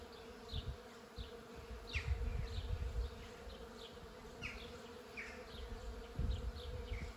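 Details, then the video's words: Bees and other insects buzzing around a flowering tree, a steady low hum with short high chirps from birds scattered throughout. "Buzzing tree"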